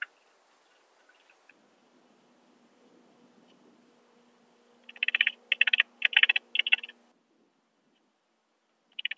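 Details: Alpine saw bush-cricket, Brixen, Italy, on 11 September 2022, picked up through a Pettersson D 100 ultrasound detector. After several seconds of near quiet with a faint low hum, four rapid bursts of ticking pulses come in quick succession, then one more near the end.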